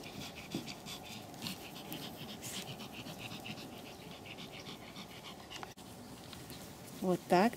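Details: Pomeranian puppy aged three and a half months from the Elenhouse kennel in Kyiv, panting in quick breathy bursts about three times a second, with a short voiced sound breaking through near the end.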